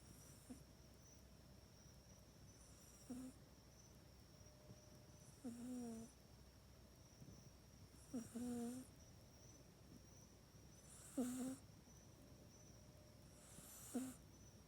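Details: Domestic cat Mac asleep in its cat bed at night, filmed on an iPhone 8; low, buzzy snores with a slight upward wobble return about every two and a half to three seconds, each a short nasal rasp over a quiet room hum.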